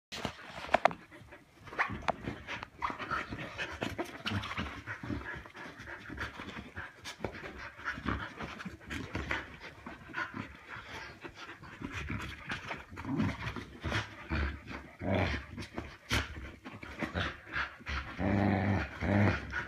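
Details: Samoyeds play fighting over their soft toy cow: quick, rhythmic panting runs through the whole stretch, with scuffling and thumps from the tussle.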